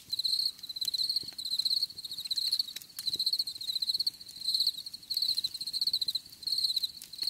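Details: Crickets calling in nature for relaxation: piercing high trills grouped into pulsed bursts of under a second, repeating steadily, a faint upper harmonic layer and sparse soft clicks behind.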